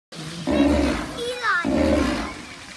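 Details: A sea lion at a zoo gives two deep, harsh roars, with a brief high voice between them.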